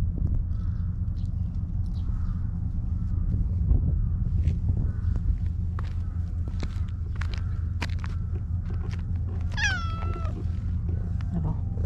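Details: Stray cat Maro, stroked in a park and acting affectionate, lets out a single bright, falling meow near the end, after a stretch of rustling and faint handling sounds over low steady background noise.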